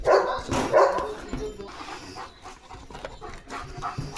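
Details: Pet German Shepherd named Leo, excited as a parcel with chicken chips is unboxed, gives two quick loud barks at the start, then softer whines and household noise follow.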